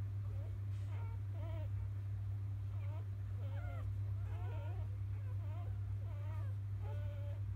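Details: Newborn field-type Labrador Retriever puppies of champion Biscuit after nursing: repeated short upswept squeaks and wobbling whimpers, several pups calling over one another roughly every half second, above a steady low electrical hum.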